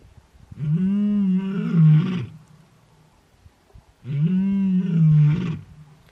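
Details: Young wild male lion, just over two years old, roaring while searching for his two sisters at Welgevonden Game Reserve in the Waterberg, South Africa, in winter; two long, deep, harmonic-rich moaning roars, each about 1.7 seconds, separated by a pause.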